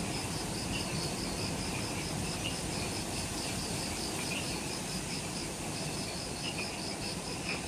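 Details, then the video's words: Forest insects calling at dusk, just after sunset, at the Mount Omoto trailhead, Ishigaki Island, Okinawa, Japan: rapid high pulsing buzz with occasional brighter chirps, partly masked by steady hissing background noise. "Forest Twilight Sounds – Ishigaki Island | Relaxing Jungle Ambience with Insects"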